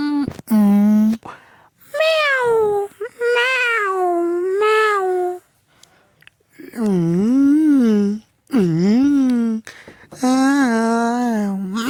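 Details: Domestic cat meowing insistently and almost continuously, a run of loud drawn-out meows that swoop up and down in pitch, some short and some over a second long, in a small room.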